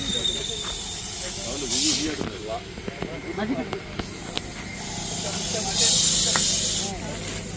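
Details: Indian Russell's viper (raktapinjara) during a rescue at the Nandipet substation, hissing as a warning to keep away: two loud, breathy rushing hisses, each about a second long and several seconds apart, over men talking and a steady low hum.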